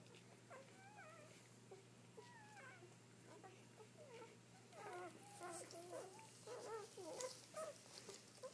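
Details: Newborn Dobermann puppies just after birth, seven born so far while their mother is still delivering more; a dense overlapping chorus of high, wavering squeals and whimpers, building louder and busier toward the end, over a steady low hum.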